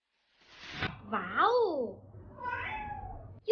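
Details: Cat from a compilation of funny cat clips, giving a wavering meow that rises and falls over about a second, followed by a softer, lower drawn-out meow; a person exclaims briefly at the end.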